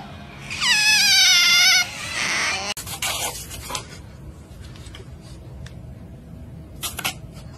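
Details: Baby otter, likely kept as a pet, giving a loud, high, harmonic squeal that slides downward for about a second, followed by a noisy rasp and quieter scattered clicks and rustles.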